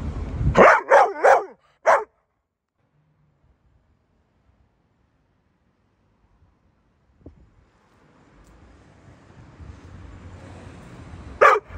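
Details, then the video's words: Pit Bull dogs barking: a quick run of four deep, rough barks and one more bark in the first two seconds, then near silence, low rumbling background noise and a final bark at the end. "Pitbull dogs"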